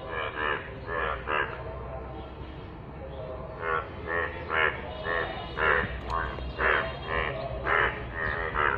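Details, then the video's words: Yellow frogs calling in rainwater: loud, harsh, nasal croaks in short pulsed bursts, about one a second, with several callers overlapping and a low steady hum underneath. "অসাধারণ কণ্ঠে ডাক । হলুদ ব্যাঙ এর বৃষ্টির পানিতে"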